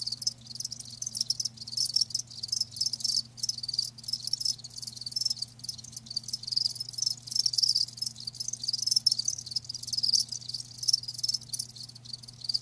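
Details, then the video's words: Continuous high cricket trilling from live crickets, a thick, even shimmer with small sharp chirps rising above it and a low steady hum in the background. "Live Crickets 60min "Natural Sound" ASMR"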